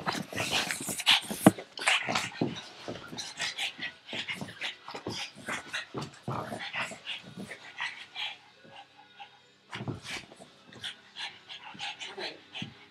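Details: Pug named Frankie chasing a tug toy held in someone's arm, breathing in rapid, noisy broadband bursts about two to three per second, with short pauses and some snorting, plus a few faint human voices.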